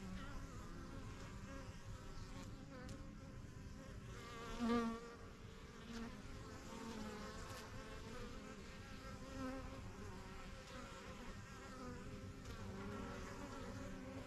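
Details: Busy honey bee hive in a backyard, first-year colony started spring 2023, bees flying in and out of the yellow hive; continuous droning hum, one bee buzzing loudly close by near the middle, wavering tones from others passing.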